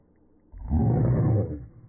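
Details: Boston Terriers, a mother among them, tussling over a ball they both want; one deep, rough growl swells in after a half-second of quiet, holds steady for about a second, then fades.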